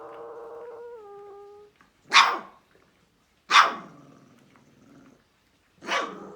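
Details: Central Asian Shepherd Dog puppy on guard: three loud, harsh barks spaced about one and a half seconds apart, preceded by a steady, low, tonal whine or snore-like hum.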